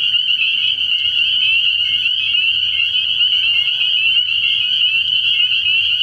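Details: Night chorus of many spring peepers at a pond in early spring; shrill, high-pitched peeps pile up into an unbroken trilling drone that holds steady throughout, over a quiet low hum.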